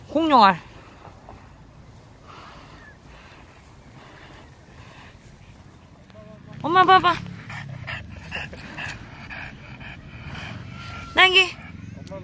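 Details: French Bulldog on an autumn walk along the entrance path of Baekyangsa Temple, Jangseong, South Korea: three short, high, harmonic yelps spaced several seconds apart, with a low background hum and faint music between them.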